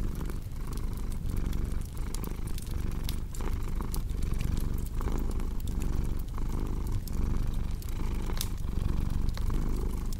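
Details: Domestic cat purring beside a crackling fireplace: a deep, steady low rumble that swells and fades with each breath, roughly once a second, under constant sharp pops and snaps of burning wood.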